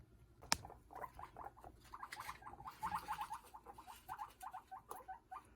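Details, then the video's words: Several pet guinea pigs talk to each other in a rapid run of short, chirpy, muffled pulses, about four to five per second, rising and falling in loudness. A sharp click comes early on. "hi guys today i'm going to show you moments of my guinea pigs talking to each other hope you like it"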